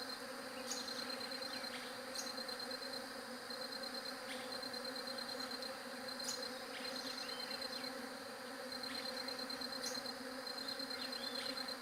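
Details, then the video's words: Droning bee buzz runs throughout, an even hum with overtones. A shrill, fast-pulsed high trill sounds in repeated bursts of one to two seconds, with sharp clicks in between. "SOM DE ABELHA"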